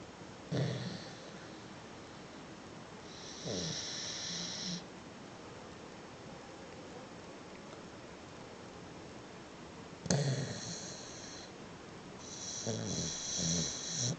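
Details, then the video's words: Sleeping beagle snoring in a way called funny, with rasping, breathy snores in four bursts of roughly one to two seconds each and quiet pauses between them, indoors. "Бигль забавно храпит!"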